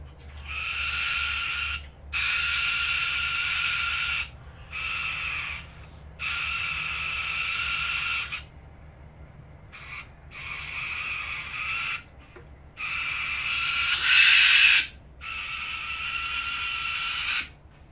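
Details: Two young common brushtail possum joeys screaming at each other: harsh, raspy sustained screeches in bursts of one to two seconds, broken by short silent gaps, about eight bouts in total, with the loudest near the end.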